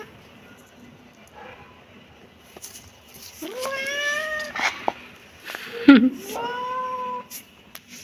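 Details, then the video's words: Kitten letting out two meows after a quiet start, the first rising then steady, the second flatter, with a thump between them. "kitten meowing"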